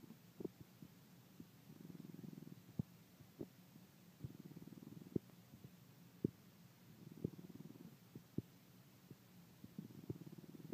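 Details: Pet dog snoring while asleep, snores said to be getting louder by the week; slow rhythmic low rasping breaths about every two and a half seconds, with scattered soft clicks, quiet indoor setting.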